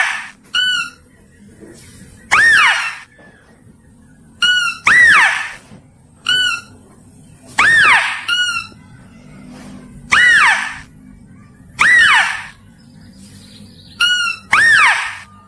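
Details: Mouse-deer lure recording: a repeated sequence of a brief, ringing flat squeak followed by a loud squeal that rises and falls, cycling about every two seconds against a quiet background.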